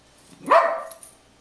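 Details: A puggle barks at a picture of a pug on a beach towel: one sharp, loud bark that rises quickly and then fades, with quiet surroundings before and after.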